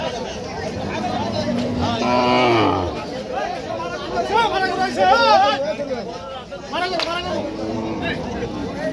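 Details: Local deshal cattle being unloaded at a cattle market: one long, loud moo with rich stacked harmonics, then shorter wavering lowing calls, heard over lively chatter of people.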